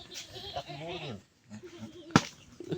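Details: Goat crying for its playmate: one drawn-out wavering bleat of about a second, followed by quiet, a sharp knock and people talking and laughing.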